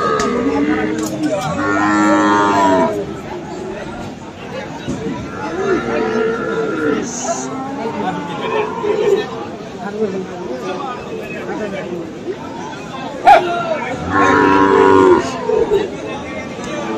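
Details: Several separate moos from cattle at Aftabganj market in Dinajpur, where Friesian and crossbred bull calves are for sale on 21 February. The calls are spaced across the recording amid steady crowd chatter and voices.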